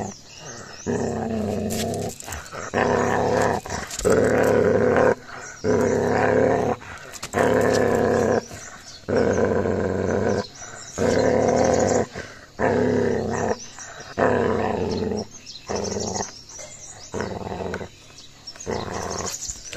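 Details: A Gaddi dog puppy turns aggressive and attacks another dog, giving a steady series of harsh, low growls. Bursts repeat roughly every second and a half, with a faint snarling edge throughout.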